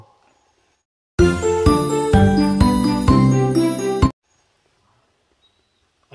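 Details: A short burst of bright chiming music plays between stretches of near silence, with no animal voice.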